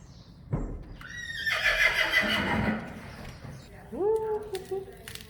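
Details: Friesian horse giving a loud whinny, a quavering band of high tones wavering and sliding downward over about two seconds, then a shorter, lower call rising and levelling off, with faint background noise.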